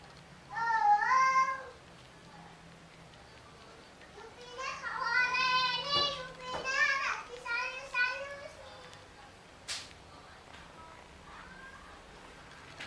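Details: Yupi the pet cat, a.k.a. Kluwuk, meows once clearly, pauses, then repeats a run of four or five quick, wavering meows, followed by a sharp click and a fainter final mew.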